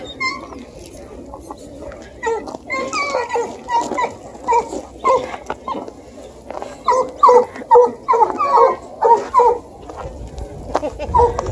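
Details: Two Bluetick Beagle puppies, 4 and 5.5 months old, one a pocket beagle, chasing a deer hide for the first time in cold weather in Ontario: rapid, excited yelping bawls repeated in bursts, with a person talking early on.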